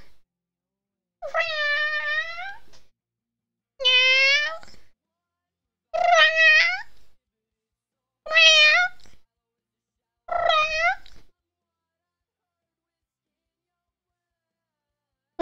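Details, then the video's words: Cat trading meows with its owner: five drawn-out, wavering meows about every two and a half seconds, followed by several seconds of silence. "A conversation with my cat"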